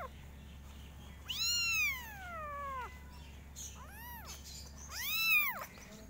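A kitten gives three high meows: a long falling one, then a short arched one and another.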